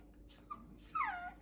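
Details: Bichon Frise, a "talking" puppy, gives a faint short whine then a louder high whine falling in pitch, in a quiet room; a person asks it what is wrong.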